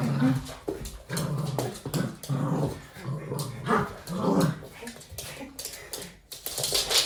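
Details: A red male Toy Poodle, playing with his owner, makes a playful run of low, rumbling growls and grumbles that rise and fall in bursts, with drawn-out moans and short huffs between pauses.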